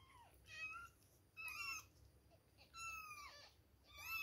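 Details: Two-week-old kittens at milk time mewing in short, high, harmonic-rich cries, some rising then falling, four separate calls in quick succession indoors.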